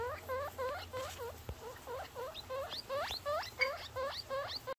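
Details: Newborn baby guinea pig giving a rapid run of short squeaky chirps, many rising steeply in pitch, about three per second and fairly irregular, with a soft woman's voice and faint low background hum.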